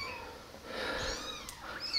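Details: Tiny abandoned kittens rescued from the street eight days earlier, now kept in a warm basement, walking about and drinking milk from a syringe; a faint, thin wavering mew rises and falls in the middle, over quiet room noise.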